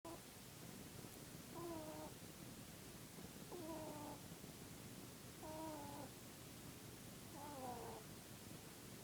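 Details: Dutch/Polish mix rabbit named Mr. Keeks snoring while asleep in his Peep pose; squeaky, tonal snores with stacked pitches, one every two seconds, over a steady background hiss.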